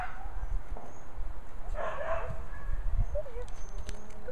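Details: Angela, a kennel puppy born March 13, 2014, offspring of Shasta and Xerxes: thin wavering whimpers and a brief rough squeal, then small upward-bending whines near the end over steady low rumble.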